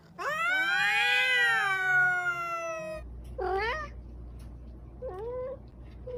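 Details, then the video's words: Pet cat letting out one long, loud arching meow lasting about three seconds, followed by two shorter, quieter meows with a steady low hum beneath. "Funny Cats and Kittens Meowing"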